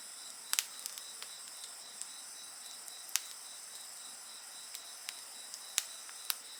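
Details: Night insects keep up a continuous high, rapidly pulsing trill with a thin, even whine layered over it, and snapping bonfire crackles cut in every second or so.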